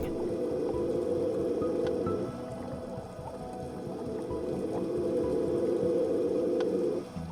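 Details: Adult male Hawaiian monk seal floating in midwater underwater off a remote Hawaiian island, vocalizing in what is suggested to be a mating call: a low buzzing drone in two long pulsed bouts with a quieter gap, background music faint.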